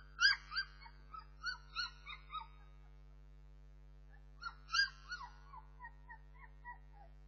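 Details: Whining Bernese Mountain Dog puppies: two bouts of high, wavering whimpers, each opening loud and trailing off into softer, shorter whines, separated by a quiet pause of about a second and a half, over a steady low hum.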